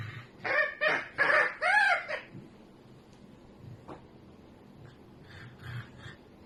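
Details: A pet red fox screaming strange sounds while sleeping: four harsh, hoarse bursts in quick succession, then near quiet with a faint rustle and a few soft, distant noises.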